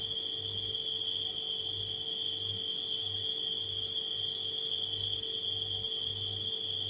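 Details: Constant shrill trilling of nighttime crickets that never pauses, layered over the throbbing low hum of a household refrigerator.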